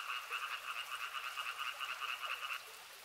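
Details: Frog chorus by a river, rapid pulsing croaks throbbing several times a second in a buzzy trill that cuts off abruptly near the end, leaving quiet background.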